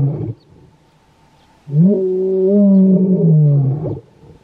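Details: A lion in the Kgalagadi (Kalahari) gives a deep, drawn-out moaning roar that swells and then fades.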